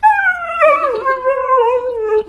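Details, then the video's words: Talking Siberian Husky indoors producing a wavering, yodel-like howl that starts high and slides lower in uneven wobbles over about two seconds, voice cracking midway, then settling on a steadier lower note. "Hilarious Talking Huskies Compilation | husky talking"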